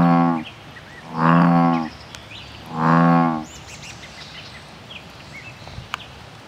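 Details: Male American bullfrogs defending their territory: two loud, deep, droning harmonic calls, each under a second long and about 1.5 seconds apart, over faint bird chirps in the background.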